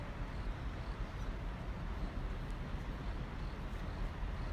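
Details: A steady, dense rumble like engine or vehicle noise fills the recording, with no animal voices.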